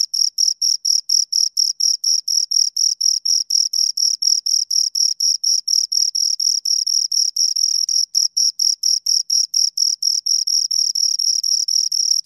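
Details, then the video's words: High, scraping cricket chirps from two insects, a fast regular pulse train over twelve seconds with slight overlaps and one brief gap near the end; no other sounds. "Two Crickets Chirp Sounds"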